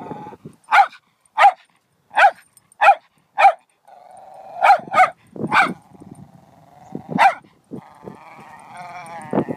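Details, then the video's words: A dog gives a steady series of single sharp barks about every half second, then a whining tone and a few more barks mixed with whimpering. "Crazy dog"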